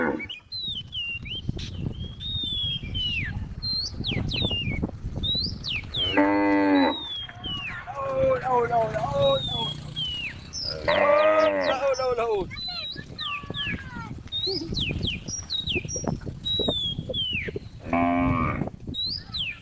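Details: ['Cows wander along a road beside a forest as a female cow calls: three long moos spaced several seconds apart, surrounded by frequent high bird chirps and a steady low rumble.']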